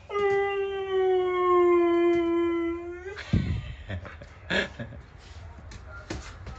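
A Siberian Husky gives a long, steady howl that sags slightly in pitch before breaking off.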